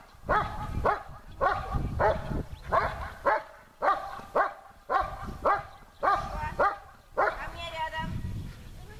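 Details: German Shepherd named Besser in protection training, barking at the helper during a search under harder conditions; loud, evenly spaced barks roughly every half second with strong harmonics, ending in a higher whine-like yelp.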